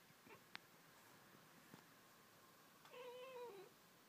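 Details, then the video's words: Indoor house cat Pringles chattering at birds outside; scattered small clicks and taps, then a short, wavering, falling mew with clear harmonics near the end. "Pringles the Cat sweetly, chattering away to the birds outside!"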